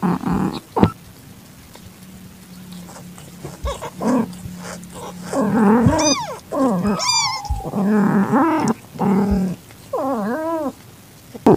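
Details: Calitabby domestic cat in heat with a calico kitten she accepted, 8 September 2021 at 6:30 PM, kitten found in a garage. A low steady drone early on, then a run of arched, harmonic meows rising and falling, some very high and thin.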